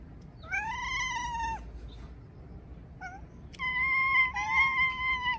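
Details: Two pet cats call out together after spotting a crow outside, giving long, drawn-out, wavering meows, one voice overlapping the other near the end, with a brief chirp between the calls.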